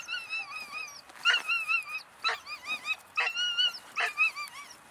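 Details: A 3-month-old female German Shepherd puppy of German working lines whines in high, wavering tones broken by short, sharp yips.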